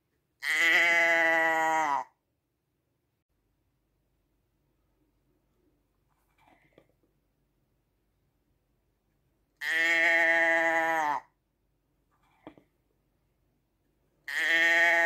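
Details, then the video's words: Three long sheep bleats spaced roughly nine seconds apart, each full-throated and steady, with faint rustles and small clicks in the quiet gaps between them. "Schaafgeräusch 1 Stunde Sheep sound"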